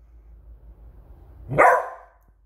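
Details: Indoor male Beagle barking at a squeaky toy: after low room rumble, one loud, punchy bark that starts abruptly and fades within half a second.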